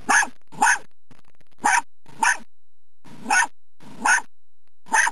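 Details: A muddy dachshund hunting a woodchuck on 30 March 2009 gives short, sharp, rough barks, about seven in five seconds at uneven intervals.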